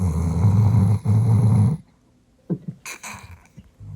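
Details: Female Doberman named Rich, born June 2018, snoring loudly while asleep at night: two deep rumbling low-pitched snores lasting about a second each, then a pause with faint soft snuffles and a brief higher rustle.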